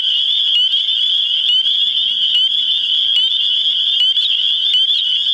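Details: A New Hampshire spring chorus of spring peepers calling for mates, a steady piercing high band of countless overlapping peeps, with occasional sharper individual upslurred notes rising above the dense wall of sound.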